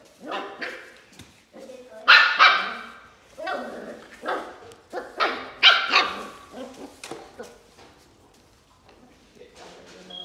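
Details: Mini corgi puppies giving a run of high, short yips and little barks in bursts, several close together, fading out near the end with softer sounds.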